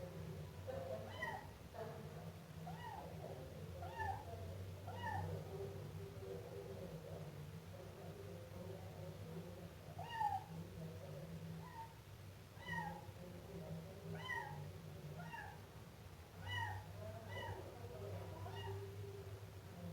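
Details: Repeated meows from a Siamese kitten, short bent mews coming roughly every second or two in loose runs, with a constant low rumble behind them.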